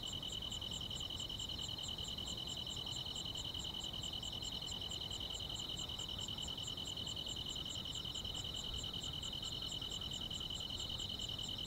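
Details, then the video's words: Countryside grass insects on a summer night. Several constant high trills overlap, with quick pulsed ticks very high above, repeated about twice a second, over a faint hiss. "여름밤의 포근한 풀벌레 소리"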